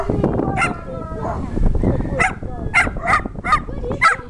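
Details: Dachshund chasing another dog around a yard, outdoors: after a murky start of rustling and low noise, a string of five or six sharp, bright barks arrives in the last two seconds, each short and spaced about half a second apart.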